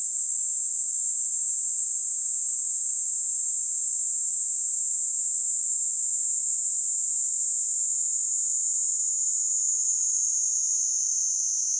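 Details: Kaempfer cicada singing from a hand in Kanto, Japan, on July 26, 2022: an intense, unbroken high-pitched buzzing drone lasting the whole stretch, easing slightly lower toward the end.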